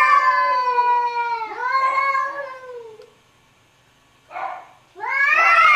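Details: Two arguing cats give long sliding meows, a sustained wail easing downward over three seconds, then silence, a short rough burst, and a sharp rising yowl at the end.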